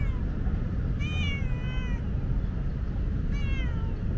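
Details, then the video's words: Talkative female tabby cat asking for water on a hot day: two long, clear meows, the first lasting about a second with a slight fall, the second shorter and dropping, over continuous low background rumble. "Very talkative tabby is thirsty."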